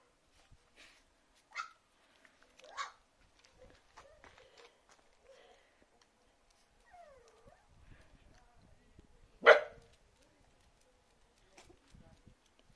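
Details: Puppies indoors, a few short sharp barks or yips at about 1.5, 2.8 and 9.5 seconds, the last the loudest, with faint whines and soft rustling between them.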